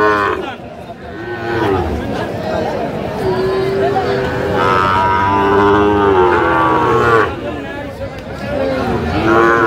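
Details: Moos from Sahiwal bull calves at a cattle market where a Mymensingh farmer bought stock, 19 April 2025. Long, bending lowing calls run beneath busy market chatter and voices bargaining nearby.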